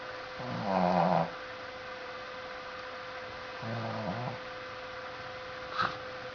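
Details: Coco the pet dog asleep indoors, giving two short, throaty, voiced snores a few seconds apart, with quiet breathing between and a faint click near the end.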